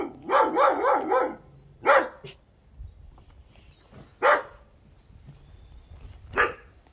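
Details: Josef, a Bernese Mountain Dog puppy born 17 October 2020, trying out his first barks: a quick burst of four or five stacked yaps, then single harsh barks spaced about two seconds apart.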